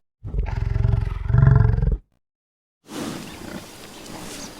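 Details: A buffalo in nature lets out a single loud, deep, pulsing bellow lasting nearly two seconds, followed by a brief silence and then faint outdoor background noise.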